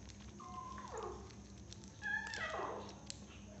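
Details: Six-week-old kitten eating cat food for the first time, giving two short, high meows that slide downward, the second louder and rougher, over a steady low indoor hum.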